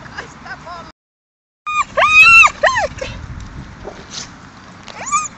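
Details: Dogs playing together in a dog park in Mariehamn, Åland Islands, on 30 April 2012: short high yelps, then a loud run of three arched, whining yips, followed by fainter scattered squeaks over a low rumble of background noise.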